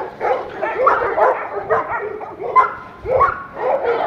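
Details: Big dogs in pools barking excitedly, short harmonic yelping barks coming in quick bursts about every half second, some rising and falling in pitch, with human voices mixed in.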